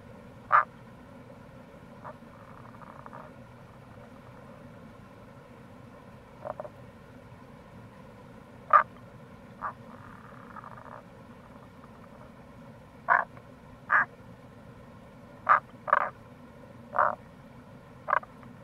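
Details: Short pulsed croaks of Rana tagoi, Tago's brown frog, recorded in April beside a gorge on the Kamo River in Itoshima, Fukuoka: about a dozen clipped notes, irregular and bunching toward the end, plus soft trills, over constant flowing-water rush.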